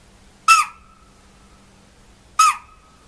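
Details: Alarm call of a spotted deer (chital) in forest: a pair of abrupt, piercing shrieks under two seconds apart. Each is a harsh onset dropping into a steady ringing note that fades slowly, with near-silence between calls.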